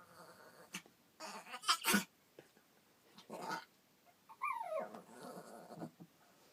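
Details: Chihuahua gurgling with displeasure because another dog is hogging the bed, a goat-like sound: rough, breathy bursts around the first two seconds and again mid-clip, then a wavering, falling whine with clear harmonics, separated by quiet pauses indoors.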